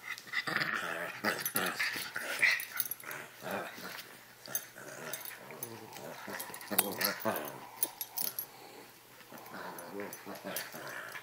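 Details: Two puppies at play make a dense run of short harmonic growls and yips that come rapidly and irregularly. Scuffling is heard, with some voices in the background.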